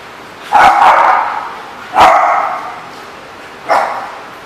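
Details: Three clear dog barks at The Barking Lot on 7/11/14, each roughly one and a half seconds apart, starting abruptly and trailing off, with the last one shorter.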